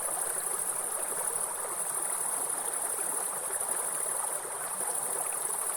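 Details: Shrill, sustained high insect hum of forest grasshoppers, steady and rhythmless, mixed with the even rushing noise of a nearby waterfall stream.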